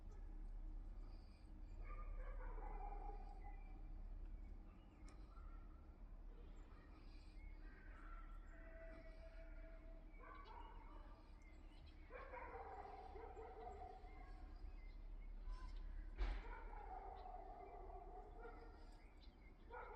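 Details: Liisi, a cat living in a yard shared with other cats, rabbits, hens and a cockerel, gives a series of drawn-out, harmonic meows, some falling in pitch, spread across twenty seconds over a low rumbling background and a sharp click.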